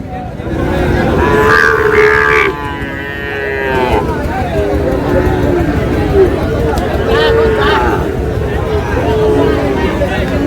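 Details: Sahiwal bull calf at a cattle market on 26 June, bought by a farmer from Narail, Bangladesh; low, drawn-out lowing calls surface several times beneath steady crowd chatter, men talking and general market hubbub.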